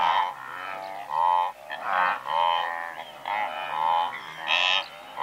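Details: Several hundred blue wildebeest in one herd, recorded at medium close range: a steady stream of resonant, bleating honks, each about half a second to a second long, overlapping with one another and with hardly a pause.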